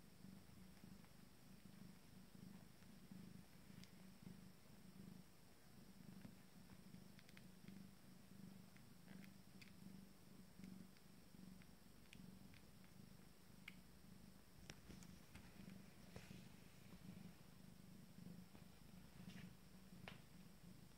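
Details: Feeding time for five-day-old Abyssinian kittens from a first litter. A continuous low purr throbs in a steady rhythm throughout, with scattered soft clicks and light rustling above it.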